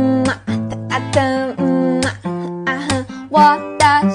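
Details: Strummed acoustic guitar with a singing voice, chords changing about every half second and no animal sounds.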